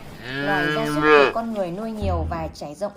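A cow gives one drawn-out, low moo that swells and rises slightly before breaking off. A narrator's voice follows immediately.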